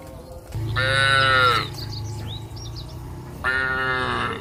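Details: Cows on a traditional village farm, heading back to the barn along a village road: two loud, drawn-out moos of about a second each, rich in harmonics, with faint high chirps between them and a low steady hum.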